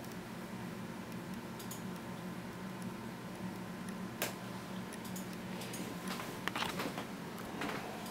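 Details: Indoor room tone with a steady low hum from a fan and scattered faint ticks and clicks.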